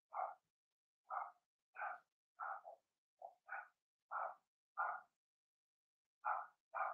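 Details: Young Cavalier King Charles Spaniel puppies, Blenheim-coloured, in their home puppy pen: sharp, high puppy barks spaced about half a second to a second apart, with a short pause before two final yaps.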